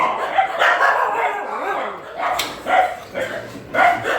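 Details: Dogs at a shelter during night feeding give short, mid-pitched barks in uneven bursts, overlapping with a person calling the animals over.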